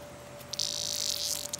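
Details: While a cat named Nellie plays with it, a cicada lets out one sustained rasping buzz lasting about a second, starting abruptly and fading with a brief flutter at the end, over a low steady hum.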